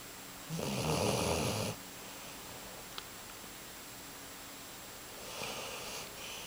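A Basset Hound snores, a loud rasping rumble on the in-breath followed by quiet.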